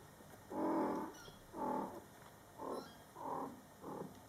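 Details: Mother cat Coco talking to her Scottish Fold kittens, born July 22, 2012, during their first month: five low, murmuring calls, each about half a second long, come roughly once a second against a quiet room.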